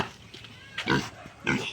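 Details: Five-month-old domestic piglet, penned, noisy on seeing a visitor: two short, harsh grunting bursts about half a second apart, with a man's voice nearby.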